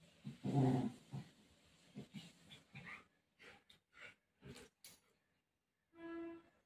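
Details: Golden Retriever playing with its owner and desperately searching for her, giving one loud, low, rough bark-like burst early on, then several soft short thuds and noises, ending with a steady, tonal, harmonic whine-like sound.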